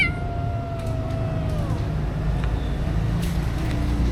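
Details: Stray kitten that followed a person and asked for a drink, recorded on a DJI Osmo Action camera; one long, drawn-out meow holding steady, then dipping downward at its end, over a constant low rumble.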